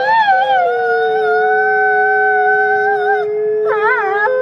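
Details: Howl from Nikai, a captive-born gray wolf at New York's Wolf Conservation Center: a falling onset settles into a long level tone for about three seconds, then a short wavering rising phrase follows after a brief break.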